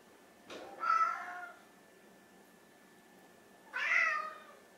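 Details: Two hungry pet cats, an orange tabby and a grey mackerel tabby, begging for food before mealtime; two clear drawn-out meows about three seconds apart, each rising then falling, in a quiet indoor room.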